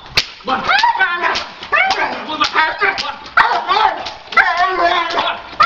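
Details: Dog in attack and bite training, giving repeated harsh, harmonic barks in short bursts with brief gaps between them. A human voice and sharp cracking sounds are mixed in.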